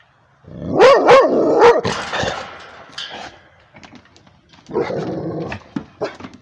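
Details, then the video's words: A Rhodesian Ridgeback barks at a tablet indoors: three loud, harmonic barks close together in the first two seconds, then rougher, noisier bursts and a later cluster of softer, broken barks with short sharp sounds. "Rhodesian ridgeback barking at the tablet"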